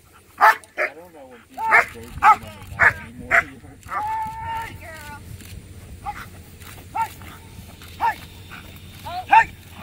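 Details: Black German Shepherd, Letty von Prufenpuden, 15 months old, during a P1 protection routine at a Working Dogs of America protection dog competition; loud, sharp barks in irregular bursts, some with whining tones between, over low outdoor rumble.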